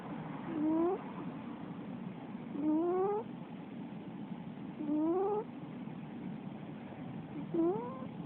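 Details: Snoring from a sleeping Russian Blue female cat. Four evenly spaced, rising, nasal whistle-like snores recur about every two and a half seconds against soft background noise.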